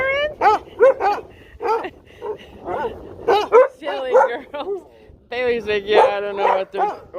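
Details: Pet dogs at home barking and howling in reaction to a tornado siren test; wavering, rising-and-falling howls with harmonic yips, a woman's voice talking over them.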